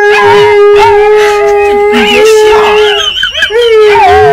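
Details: Siberian Husky adult dog teaching a puppy to howl, pet setting: one long steady howl held for about three seconds with a brief break, then rising again, while a second wavering, shifting voice overlaps beneath it.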